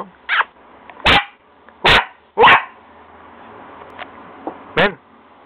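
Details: Young, lively pet dog that chews everything gives loud, short, sharp barks, about four in five seconds, with a few softer yips and brief human speech between them.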